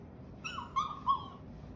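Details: Akita dog giving a drawn-out whining cry while being petted and talked to, the tone holding fairly level with two stronger pulses near the end.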